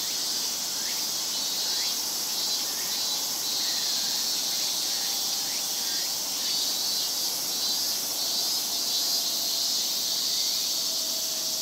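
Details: A big summer chorus of Japanese cicadas in Japan, a loud, unbroken high-pitched shrilling that never pauses.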